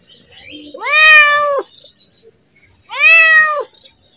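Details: A pet cat asks for food just before feeding time with two long, steady meows about two seconds apart. Each one is clear and tonal and drops off at the end, with near silence around them.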